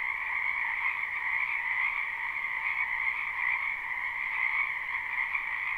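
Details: A live spring recording of many frogs croaking in a wetland; their dense trilled calls blend into an even, continuous chorus in a middle and a higher band, and no other sound can be picked out.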